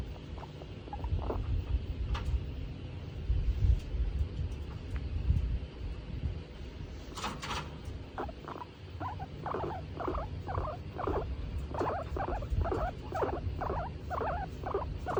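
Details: Female skinny pig Tomato, pleased while being petted, starts quietly, then after a brief rustle settles into a steady run of short squeaky chirps repeated about twice a second until the end.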